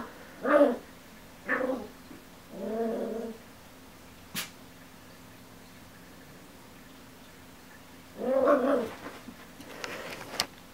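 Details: Ten-week-old Miniature Schnauzer puppy Remmy, stuck on a couch and wanting to get down while watching adult schnauzer Kiko walk around, gives short whimpering whines in three quick bursts, a single click, then a longer drawn-out whine near the end.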